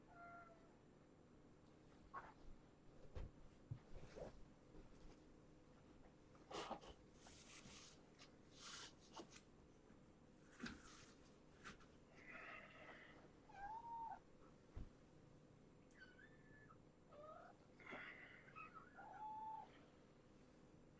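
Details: Young kittens of a brown tabby shelter mother from the Tulalip, Washington area, heard one morning after a loud noise: a few short, faint tonal meows late in the clip amid indoor thumps, rustling and clatter.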